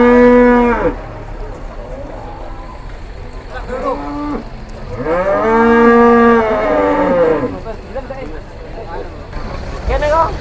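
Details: Jumbo cattle just arrived by truck at a crowded morning market in Muntilan, Indonesia, during Lebaran Kupat; loud, deep, prolonged moos with rich harmonics, one long bellow around the middle, with background chatter.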